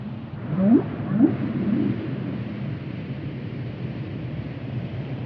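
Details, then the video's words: Whale producing two or three quick, low rising whoops near the start, followed by steady low rumbling background noise with no further calls. "Whale sounds"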